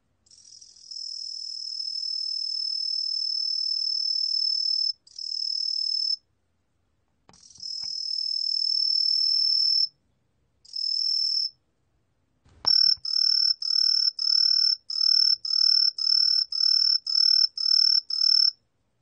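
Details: Green tree cricket (Truljalia hibinonis), 2020 recording from Korea's National Institute of Biological Resources: long shrill high trills broken by pauses, then a run of short pulsed chirps about two per second, clean quiet background.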